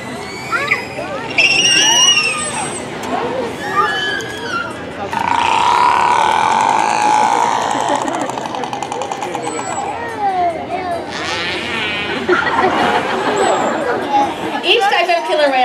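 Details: Killer whale calls are played over loudspeakers during a killer whale show. Squealing and creaking pulsed sounds rise and fall in tone. Each pod has its own set of calls, or dialect.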